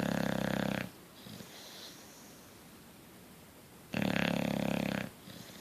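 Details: Coach the Bulldog asleep, snoring loudly indoors: rough, rattling snores about one second long, separated by roughly three seconds of quiet breathing.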